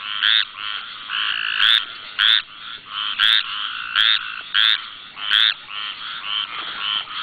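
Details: A squirrel treefrog in Louisiana's Barataria-Terrebonne National Estuary gives harsh, grating calls at night, a run of about ten raspy notes at slightly uneven spacing, some overlapping softer calls.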